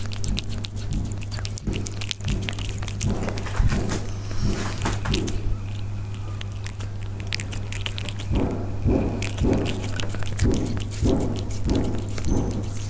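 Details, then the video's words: Persian cats heard up close while eating: crisp, irregular crunching and clicking bites that grow denser and more rhythmic in the second half, over a steady low electrical hum. "The sound of Persian cats when they eat"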